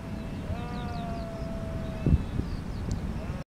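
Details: A sheep gives one long steady bleat lasting about a second and a half, fainter bleats behind it, then a brief low thump and rumbling background noise.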